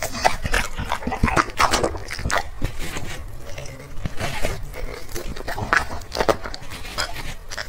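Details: Black dog eating chicken and vegetables from plates, recorded up close: continuous wet, crunchy chewing and smacking in irregular rapid bursts, with soft thuds and lapping throughout.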